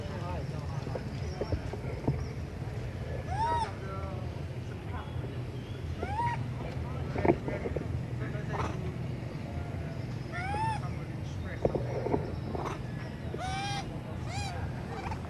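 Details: Hungry baby monkey Sweet Pea crying loudly in a tree for milk: repeated arched, whining tonal cries every few seconds, each rising and dropping in pitch, with low rumbling noise and some voices in the background.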